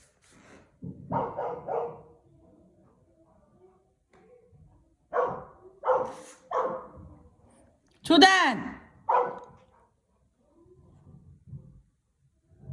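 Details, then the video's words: Golden Retriever, the big older brother, barking wildly as the youngest dog goes into a home swimming pool alone at a country house in Cheongju; a few short, loud barks mixed with people talking throughout. "막내가 수영장 혼자 들어가면 미친듯이 짖는 큰형 골든리트리버"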